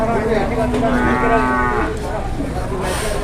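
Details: Jumbo cattle at an Indonesian livestock market give a low, drawn-out moo of about two seconds. It holds steady and then sags in pitch while a man talks over it about weights and asking prices, with crowd noise behind.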